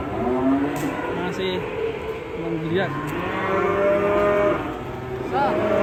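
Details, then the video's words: Agitated cattle in Indonesia, described as raging, bellowing with long harmonic moos that rise and fall, several overlapping calls across six seconds, with faint vehicle noise and a steady high hiss behind. "KUMPULAN SAPI NGAMUK DURASI 1 JAM"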